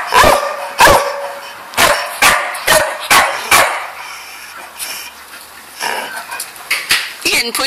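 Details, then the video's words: Dog with rapid, harsh barks in uneven bursts, several packed into the first four seconds, then a quieter stretch before more barks resume. "Barking Mad"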